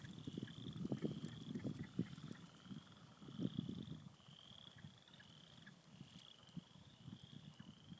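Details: Frogs crowd a beaver pond in spring, giving quick low clucking croaks in bunched bursts during the first four seconds, then sparser. A high, evenly spaced peeping note repeats throughout.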